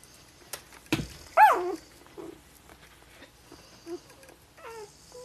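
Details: Golden Retriever puppies 5 days old give thin, high squeaks and whimpers that rise and fall in short bursts.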